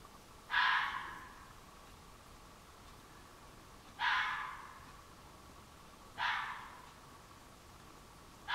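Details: A red fox gives harsh, hoarse, very loud barks, each short and raspy, spaced a few seconds apart, at night on July 2015 from woods behind a flower garden.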